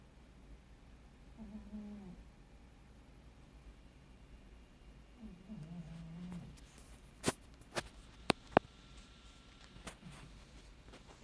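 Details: Carolina, a pet cat, snoring very quietly indoors with a light grunting noise: two soft, low, wavering snores a few seconds apart, then several sharp clicks near the end in a quiet room.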